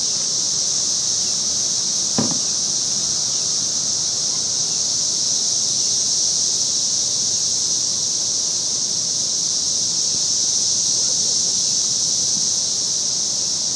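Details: Very loud cicadas in Nashville, Tennessee, recorded May 23rd, form a steady, unbroken high-pitched droning chorus that holds constant throughout, with a brief low knock near the start.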